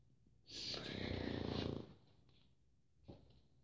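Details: Pug snoring indoors: one long, noisy, rasping breath swelling for about a second and a half, then a short snort-like puff, over a quiet room hum.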